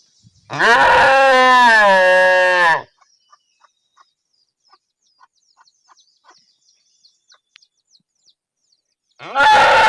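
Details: A single loud, rough cow moo of about two seconds, harsh and strained with dense overtones. It is followed by a long quiet stretch of faint clicks, then another forceful moo begins at the end.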